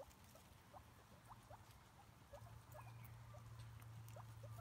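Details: Pet guinea pig producing soft, scattered upward-sweeping squeaks against a loud low hum that swells in the second half.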